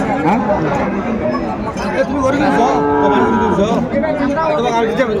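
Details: Sahiwal bull calves at a cattle market in Gazipur, Bangladesh, 28 December 2024: a drawn-out, steady low moo held for about a second, rising slightly, over a constant din of crowd chatter and bargaining voices.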